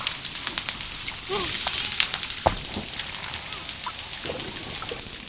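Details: Dolphin sounds: rapid, evenly paced clicking, interrupted by a short V-shaped harmonic whistle and a hissy high-pitched burst in the first half, then softer faint chirps.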